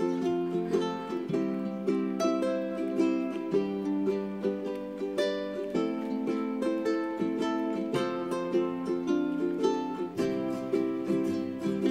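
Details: Bright plucked ukulele music plays steadily with strummed chords and a repeating melody, with no animal sounds heard.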